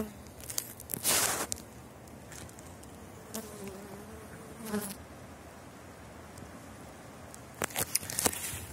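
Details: Elgon honeybee colony buzzing at the hive on a cold spring day of about five degrees during an inspection; soft steady hum broken by sharp clicks and rustles of handling, with brief wavering tones.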